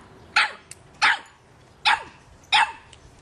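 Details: Four sharp, loud barks from a 3.5-month-old Boston Terrier puppy at a soccer ball, evenly spaced about two-thirds of a second apart, with quiet pauses between.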